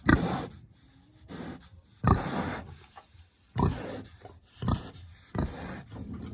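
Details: A big pig, hungry, in its village house on a warm autumn day: separate deep grunts and snorts about a second or two apart, with quiet gaps between.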